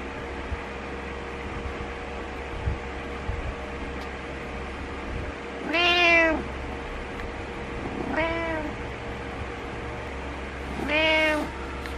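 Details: After several seconds of quiet indoor hum, Butters the cat gives three insistent meows roughly two to three seconds apart to wake its owner, the middle one softer and shorter.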